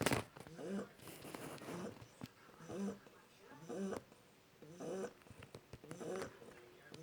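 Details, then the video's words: One-month-old Shar Pei puppy snoring, with soft rhythmic nasal breaths about once a second, each a low rasping whistle, and faint clicks and background noise. "Мой щенок шарпей храпит"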